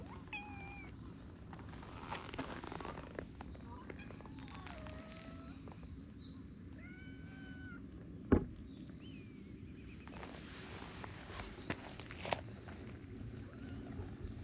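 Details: Affection-seeking adult stray cats joining a small tortoiseshell kitten; several soft, short mews scattered across the stretch, one flat and held, over constant low background rumble with a few sharp clicks.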